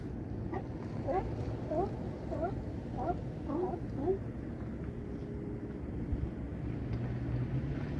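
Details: A California sea lion at Crescent City harbor, with Battery Point lighthouse in the distance, gives a quick series of hoarse, honking barks over a low harbor rumble.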